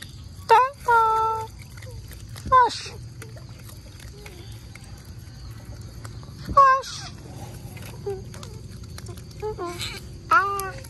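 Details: Mealtime otters receiving mullets near mangroves let out short upswept squeaks in quick pairs, separated by quiet gaps filled with low rumbling background noise.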